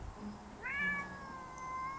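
A domestic cat gives a long, high meow that rises sharply, then holds steady and drawn out.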